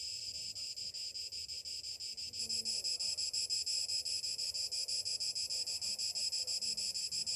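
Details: Cicadas singing on a summer morning, a piercing high-pitched buzz throbbing roughly three times per second, which swells noticeably louder after about two seconds and stays strong to the end.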